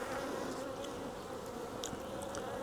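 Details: Wild honey bee swarm being collected from a tree branch for transfer into a 5-frame nuc box; a dense, steady, even buzz of many bees with a low droning hum throughout and a few faint clicks.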